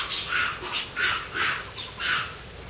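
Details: Wild Formosan rock macaque troop on a walking trail in Shoushan Nature Park. After a scuffle, a troop male displays to show his strength. Five harsh, breathy bursts about half a second apart, mid-to-high pitched, over a quiet background.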